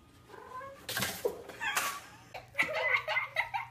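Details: Domestic cat in a funny pet compilation, giving short tonal meow-like calls with clear harmonics, several in quick succession in the second half, after a few broad noisy bursts, perhaps laughter or handling.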